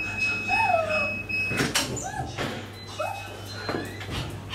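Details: Maltese dogs left at home after one of their three-dog household is taken out, giving thin, high whines that rise then slide downward, spaced about a second apart, over a steady hum and faint background music.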